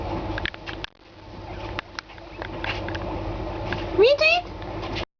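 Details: Pet guinea pigs anticipating food: a person talks softly over rustling and hiss, then a sudden loud, sharply rising squealing wheek and a second higher squeak break in near the end.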